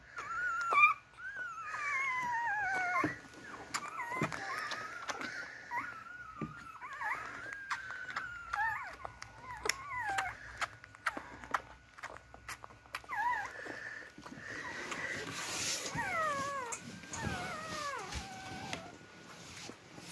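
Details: Beagle puppies searching and crawling for their mother's milk; thin, wavering whimpers and squeaks, often sliding downward, scattered over soft rustling and clicking handling noises, busier near the end.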